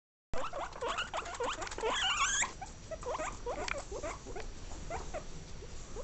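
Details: Guinea pig calling, a rapid series of short high squeaks and chirps repeated throughout, denser and louder in the first two seconds, with faint background hiss.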